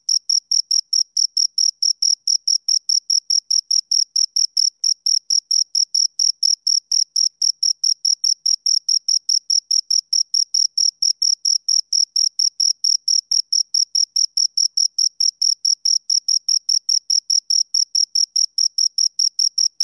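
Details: Continuous high, piercing cricket chirping from two insects, pulses repeated quickly and very regularly, a little over two per second's half-beat, with no pauses and no background noise.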